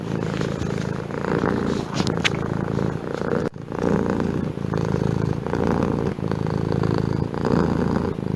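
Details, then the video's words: Domestic cat purring steadily, a low rumbling buzz that pulses in rhythm with its breathing, with a brief click partway through. "Efeito sonoro de gato ronronando"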